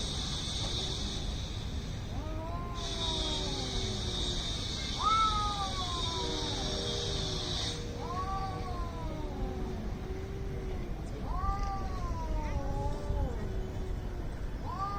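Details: Cats in a fight trading repeated rising-falling yowls and lower moans, about five wails across the stretch, while a steady high hiss or buzz runs through the first half over low background rumble.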